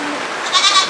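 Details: Caged farm goat among grouped mothers with kids and milk goats; a short, tremulous bleat of roughly half a second with a clear tonal band, over steady hiss, while a person calls the animals back.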